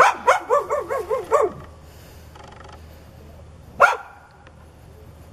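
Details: A neighbour's aggressive dog, foaming at the mouth and charging when a back is turned, lets out a rapid run of six wavering, yelping barks in quick succession, then a pause and one single sharp bark.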